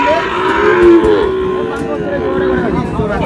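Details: Sahiwal bull calves being sold to a Narsingdi buyer, Bangladesh, on 19 July: a drawn-out harmonic moo rises and falls in the first second, then fades under steady crowd chatter and bargaining voices.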